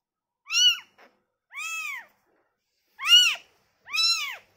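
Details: Newborn kitten, taken from its mother, giving four clear arched meows with rich harmonics, each under half a second, spaced about a second apart, plus one faint short squeak; otherwise quiet.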